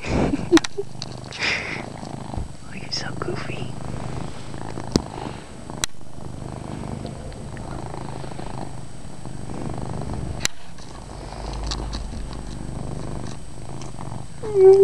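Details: Loud purr of a domestic cat being given belly rubs indoors, a low steady rumble throughout with a person talking softly over it and a few clicks and handling noises.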